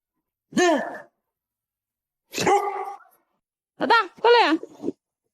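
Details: Dog from a collection of funny dog moments, giving four short, sharp, ringing barks: a single bark, a pause of over a second, another, then two quick barks close together, with quiet between them.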